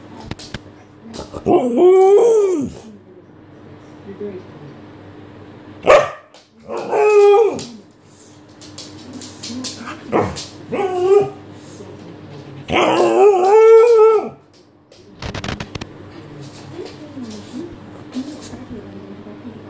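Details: Alaskan Malamute, female, trying to wake her owner indoors: drawn-out, wavering howl-like vocal calls with rising and falling pitch, in four bursts separated by pauses, with a steady background hum.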